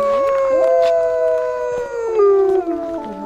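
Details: A captive wolf pack in Idaho, including a white wolf, howls together after a person starts by howling to the white wolf, long smooth tones that slowly slide downward and overlap in a chorus.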